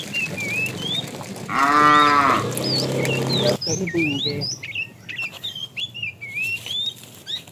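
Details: While tame cows are herded in the afternoon, a fat cow calls the female: one short bellowing moo, followed by a lower fading tail and busy chirping of birds.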